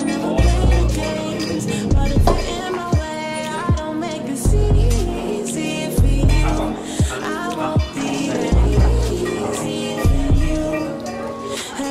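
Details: Hip hop style music with deep bass thumps and vocal lines fills the stretch, with no animal voice.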